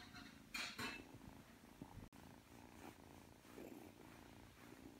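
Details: Aki, a three-month-old Ragdoll kitten, purring while kneading before falling asleep; a low, steady rhythmic purr runs under two brief bright rustling bursts near the start and a sharp click midway.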